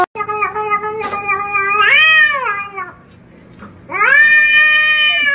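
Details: Domestic cat giving long drawn-out meows, harmonic and wavering, the first rising then falling over about three seconds, a second one starting near the end after a short pause; faint background music.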